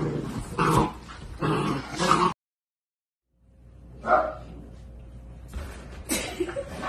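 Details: Miniature Dachshund dogs with a breeder, indoors; sharp yipping barks in quick clusters, a short cut to silence, then further single yips and barks spaced about two seconds apart.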